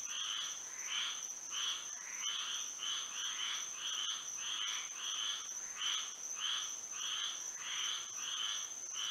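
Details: Under moonlight on a Florida night, a frog chorus of repeated harsh, bright croaks, about one hundred per minute and fairly regular, with an unbroken high whine in the background.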